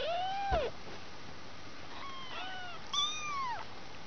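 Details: Two-week-old domestic kittens from a litter of five, indoors; three high, thin meows, each an arched whistle-like wail rising then falling, the first and last louder, spaced about a second apart over a quiet background.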